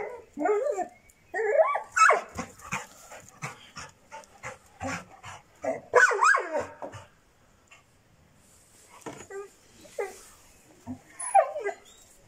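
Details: Six-month-old Šarplaninac puppy barking in irregular quick runs of sharp, rasping barks with brief quiet gaps, while a person speaks nearby.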